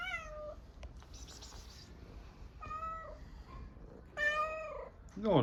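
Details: Hungry stray street cat in Istanbul, Turkey, meowing for food: three harmonic meows about half a second each, the last rising then falling, plus a short high squeaky call at the end, with faint background noise.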